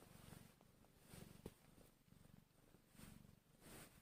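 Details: A newborn kitten, about one hour after birth and hungry, purrs softly in a low, rumbling purr that rises and falls in steady pulses, swelling every second or so.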